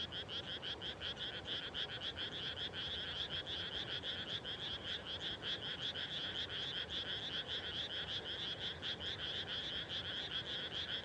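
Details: Frogs calling at dusk just after rice planting in rural Japan, a dense chorus of rapid, pulsed croaks stacked in bands, repeating steadily and overlapping without pause over a low background hiss.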